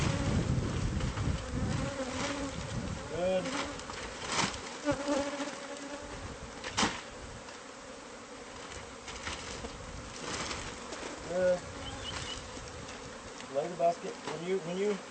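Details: Bees of a hive concealed in a home's walls, buzzing during removal: a constant low drone runs throughout, broken by sharp knocks, scraping and short tonal voice-like sounds.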